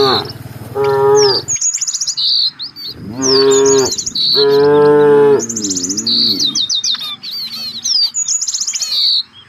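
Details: Village cattle from a herd searching for fresh grass give three long, harmonic moos, the middle two loud and steady with a wavering end, while many birds chirp and trill high above throughout.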